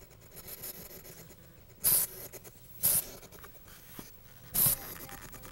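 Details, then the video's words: Zeke, a pet hedgehog on his second day with new owners, still apprehensive about them and his new surroundings, gives three short, sharp, breathy hissing bursts spaced about one to two seconds apart in a quiet indoor room. "Hissing Hedgehog"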